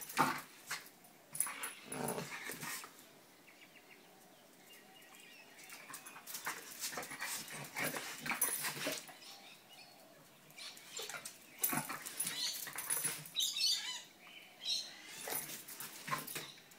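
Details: Pair of pet dogs playing, with bursts of yips, whines and occasional barks separated by quieter scuffling, clattering movement noises throughout.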